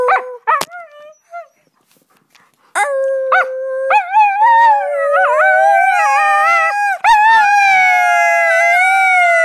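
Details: Female husky singing with her owner, who makes sounds to coax her, recorded 25 November 2010: a few short yelps and pauses, then a long sustained howl wobbling and gently rising over several seconds, rich in harmonics.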